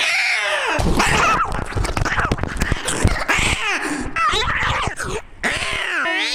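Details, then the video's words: Domestic cat screaming indoors, harsh strained wails broken by noisy rasping bursts, with a few short rising and falling cries near the end. "Cat Screaming"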